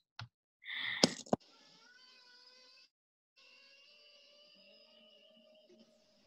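Humpback whale song: long, steady tonal moans rich in overtones, after a brief burst of rough noise.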